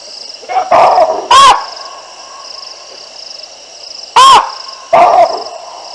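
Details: Baboons on the Olifants River in Africa, recorded by a live camera on 9 December 2022 as two lionesses walk beneath their trees. A few loud, abrupt barks sit over a constant high-pitched background drone.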